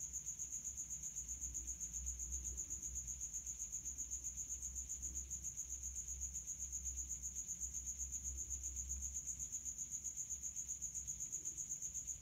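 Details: High-heat calling of a male common house cricket, rubbing its wings from a resonating hideout: an unbroken series of fast, even, shrill chirps, roughly four per second, steady throughout over a faint low rumble.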